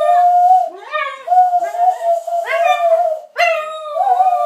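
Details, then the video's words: Dog named Milly singing along with a person inside a small room, her howl held on a steady middle pitch, broken into four sustained phrases with sharp rising onsets and strong harmonics. "Milly singing with dave"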